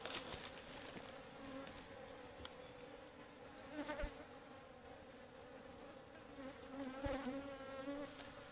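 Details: Wild honeybees (ligwan) swarming at a forest beehive during a honey harvest, described as fierce and stinging; a steady low droning hum with a clear higher overtone runs throughout, with crackling handling noises and a faint high hiss.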